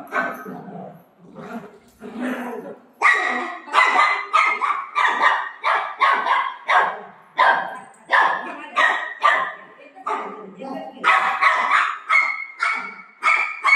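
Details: Golden retriever dog playing with its owner at home, giving a long run of sharp, loud barks in quick irregular succession, roughly one and a half per second, after a few seconds of a person talking.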